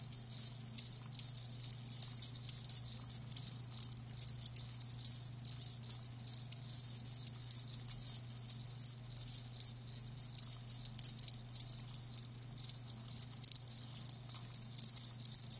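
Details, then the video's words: Several live crickets produce a continuous chorus of bright, high chirps in quick overlapping pulses, fairly loud and even across the stretch, over a faint constant low hum. "Live Crickets 60min "Natural Sound""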